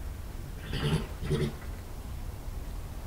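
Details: European badger, a young male cornered under a barn by the alpha male, filmed by an IP camera in a yard in Somerset, England, on 20 March 2018; two short, rough growling grunts about half a second apart over a steady low hum.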